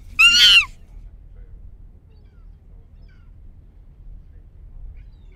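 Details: A wild Barbary macaque from the Upper Rock troops of Gibraltar Nature Reserve, recorded around November 2015, gives one brief, shrill, wavering squeal, followed by a quiet background rumble.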